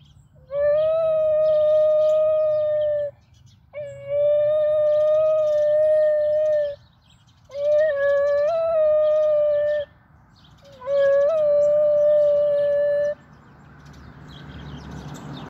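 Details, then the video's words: A 9.5-month-old adolescent male Basenji howls in long, steady, mid-pitched notes, each held two to three seconds, just after leaving a park where many young females had enthralled him. "Sanji the Basenji Howling (9.5 months)"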